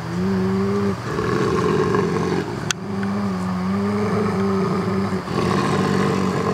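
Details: Two brother gray wolves (Canis lupus) growl and snarl at each other in a dispute: deep, sustained rumbling, long drawn-out growls with brief breaks; they resolve disputes vocally and have never injured one another in 14 years.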